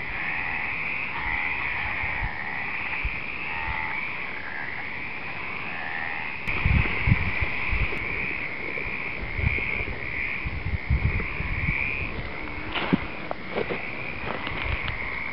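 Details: A dense chorus of many Stripeless (Mediterranean) Treefrogs, Hyla meridionalis, calling at night-time breeding site in the Western Algarve, Portugal, in February, voices overlapping in a steady, rasping croak.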